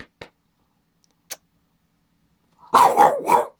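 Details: Boston Terrier going crazy indoors as the owner works at the computer; a few faint taps, then a rapid burst of three rough barks near the end.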